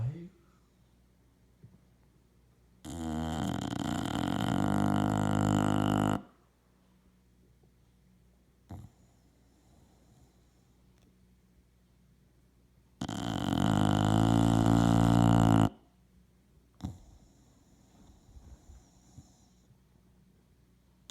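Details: A 3-year-old male English Bulldog sound asleep snores in long, loud, rattling rasps, each drawn breath about ten seconds apart, recorded January 24, 2017.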